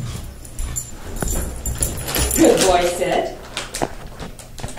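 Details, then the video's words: Mickey, a Wheaten Terrier, vocalizes his anger after getting a haircut: a short burst of harmonic whining and grumbling around the middle, surrounded by indoor room noise and a low steady hum. "Mickey the Wheaten Terrier Throwing a Tantrum"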